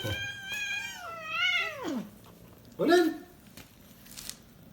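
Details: Kitten meowing indoors in a house attic where its mother brought the litter; the mother is away and the kittens are said to be bored. Two long wavering meows, the first rising then falling, followed by a shorter meow.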